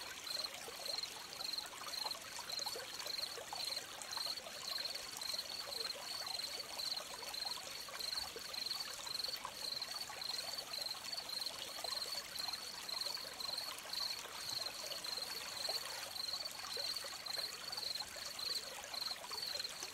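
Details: Steady cricket chirping by a flowing stream, the high pulsed notes coming in an almost unbroken run of quick repeats, layered over continuous trickling water noise.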